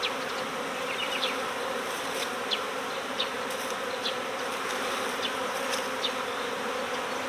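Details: Recovered honeybee swarm, the keeper's own bees caught next door in swarm season and shaken into a hive. A thick, steady droning buzz continues throughout, with faint high chirps from small birds.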